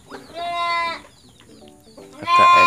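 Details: Goat kids orphaned by their mother's death, fed milk by hand: two loud, wavering bleats, the first about seven tenths of a second long and the second shorter and harsher, with a man speaking Indonesian between them.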